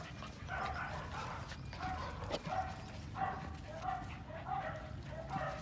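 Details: Female Phu Quoc Ridgeback dog, brindle coat with a black tongue, giving short yelping barks repeated roughly every second over a low background rumble, with a person talking nearby.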